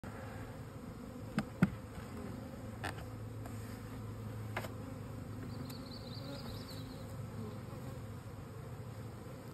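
Honey bees hum steadily, a low droning buzz with a few sharp taps and clicks.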